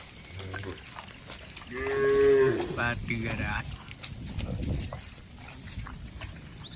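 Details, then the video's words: Dozens of tame cattle walking together toward the barn; one rising, drawn-out moo amid shuffling, low rumbling and scattered chirps. "Suara Puluhan Sapi Moo"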